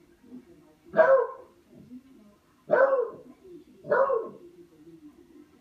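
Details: Barking from Buster, a dog at play with a katydid: three forceful, broad barks roughly a second or more apart, separated by quieter grumbling sounds in a calm indoor setting.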